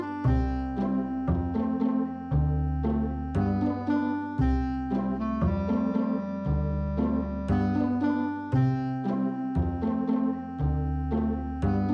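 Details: Instrumental music fills the passage, with deep bass notes changing every second or so over steady percussion. No animal voices can be heard.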